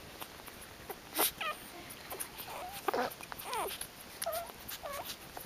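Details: Brief scattered high squeaks and short whimpers from newborn puppies of Kitty's 13-pup litter, born the same morning, interspersed with clicks and soft shuffling in a quiet room.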